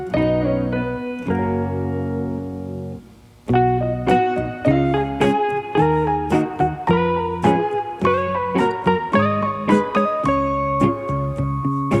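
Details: Plucked guitar music with steady strummed chords plays throughout, with a brief pause near three seconds and no animal voice heard.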